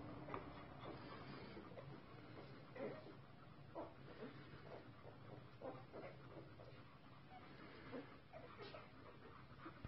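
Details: Newborn Golden Retriever puppies nursing from their mother give faint, soft squeaks and whimpers in quick, scattered bursts.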